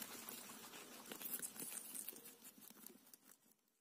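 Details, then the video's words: A guinea pig munches a cauliflower leaf, rapid crisp bites and rustling leaf sounds fading away toward the end. "फूलगोभी का पत्ता खाते हुए गिनी पिग"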